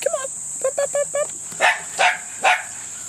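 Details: Tenterfield Terrier puppies, offspring of Cruz and Ruby, 6½ weeks old, recorded 15 February 2012: a run of short, high, whiny yips, then three sharp, louder barks about half a second apart.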